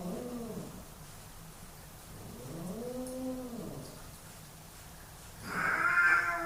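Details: Two male housecats in a dominance fight, caught in two long arching yowls that rise and fall, then an abrupt harsh hissing burst near the end.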